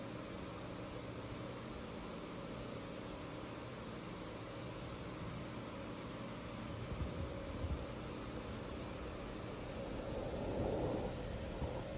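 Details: Steady broadband hiss and low rumble, like a running engine or fan, with no animal voice heard.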